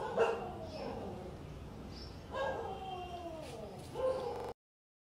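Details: Long-coat German Shepherd puppy in Delhi gives three drawn-out whines about two seconds apart, each starting high and falling in pitch, over steady low room noise.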